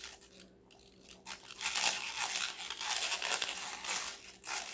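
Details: Crisp vegetable-eating sounds from Connie, a female Golden Retriever puppy of five months: a quiet start, then dense, loud, crackly crunching from about one and a half seconds on, with irregular bites and a faint steady hum.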